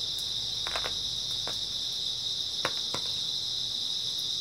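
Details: Early autumn night chorus of grass insects: a continuous shrill, even trill fills the background while several sharp crackling clicks come in small clusters.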